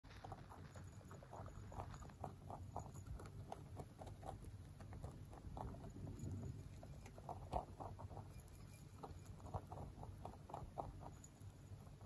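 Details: A male mini rabbit, born 3 November 2020, crunches dry pellets with quick, crisp, steady crackles of chewing; a low-flying aircraft passes close overhead at one point.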